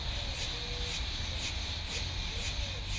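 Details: A cicada chorus hisses high and steady, with bright pulses swelling about twice a second, from insects camouflaged high in tree branches in Plano Piloto, Distrito Federal, Brazil, singing as the long dry season ends.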